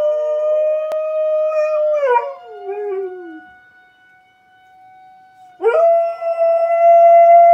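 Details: A young female dog howls at a tornado siren test, long wavering notes that slide up and fall away over the steady wailing siren.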